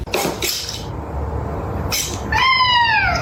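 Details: A kitten meowing: after human voices, one drawn-out, clear meow that starts high and slides downward, ending abruptly.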